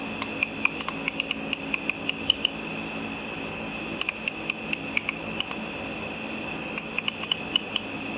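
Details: Frequency-divided calls of bats hunting insects above a pool at night. Sharp clicks come in irregular clusters, sometimes fast runs of three or four, separated by quiet stretches, all over constant electronic hiss from the ultrasonic detector.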